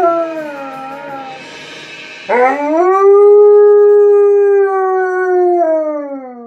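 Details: Alaskan Malamute Tonka howls along to Jingle Bells. A soft wavering start gives way to a sudden scooping rise into a long, level, full-voiced howl that slowly sags lower at the end.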